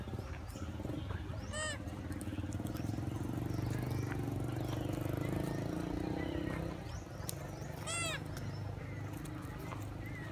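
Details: Monkeys described as hungry and searching for food. Two short, high, arching calls with stacked overtones, one early and one near the end. A steady low rumble like an engine and rustling noise run underneath throughout.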